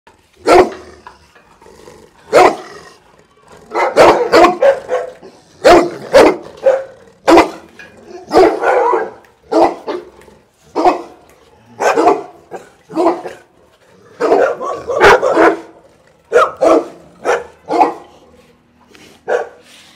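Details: Bullmastiffs from Dynamic Kennel barking at the camera: loud, deep, rough barks in quick bursts of two to four, repeated throughout with short pauses between volleys, some overlapping as if from more than one dog.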